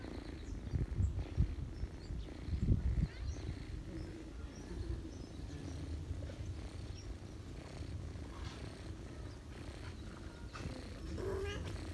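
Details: Ginger mother cat purring while feeding her kittens, the cat family resting on a lap in autumn; a low, continuous rumbling purr throughout, with a few louder soft bumps and rustles in the first three seconds.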